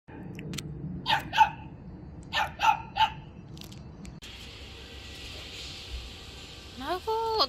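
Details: One of three puppies caught after coming down from the mountain toward village houses in winter, having come after the chickens; a few sharp, yapping barks in the first three seconds, then brief rising squeaky chirps near the end over quiet background hiss.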